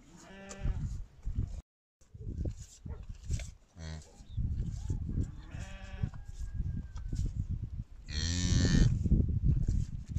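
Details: Cattle at a village farm in Kazakhstan around a cow calving on her own: a few loud, drawn-out harmonic lowing calls, the strongest near the end, mixed with people talking and handling noise.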